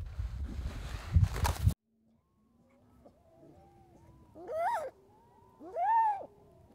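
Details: A baby harp seal that took a person for its mother and came close to sniff; after a burst of rustling and wind, faint soft murmurs give way to two loud, arched, bleating wails about a second and a half apart.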